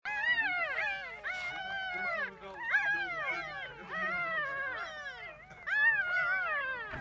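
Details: Two-day-old puppies in a box give overlapping high, wavering whines and squeals, rising and falling in pitch, almost continuous through the clip, with people talking quietly in the background.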